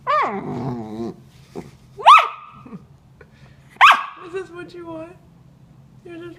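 A Corgi puppy lets out wavering, grumbling howls and sharp rising yelps, voicing frustration over a hidden toy.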